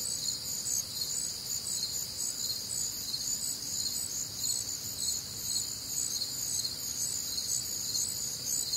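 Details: Crickets and other nocturnal insects on a warm, humid Midwestern summer night: a dense, continuous high chorus of overlapping pulsed chirps and trills, several layered voices shimmering steadily without pause, no other clear sounds.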